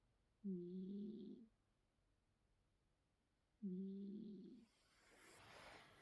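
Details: Sleeping cat gives two drawn-out, humming snore breaths about three seconds apart in a quiet room, followed by a rising rustle of handling noise at the end.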